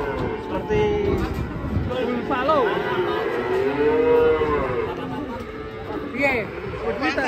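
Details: Large fat cow in Indonesia, described as suddenly running off: a long, drawn-out low moo that swells and holds steady, with backing music and people's voices nearby.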